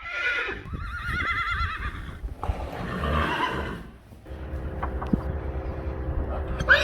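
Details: Friesian horse giving a wavering, tremulous whinny that falls away in the first two seconds, followed by a second rough neigh near three seconds, with hoof clops and then a low, steady background hum.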